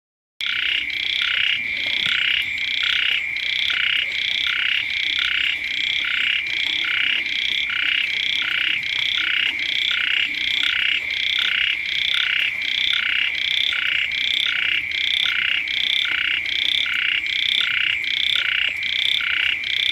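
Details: Frogs and small frogs calling beside a house as the first rains arrive: a dense chorus of pulsed, bright croaks repeating several times a second over a steady high ringing drone, with no other sounds apparent.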